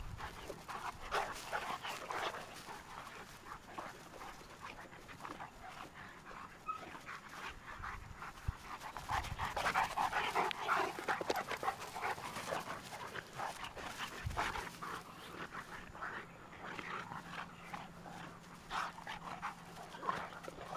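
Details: Two Cane Corso dogs, Tucker and Nessa, from Numenor Kennels at playtime: quick, breathy panting and huffing runs throughout, with scuffling bursts of play noise and a faint steady hum in the later part.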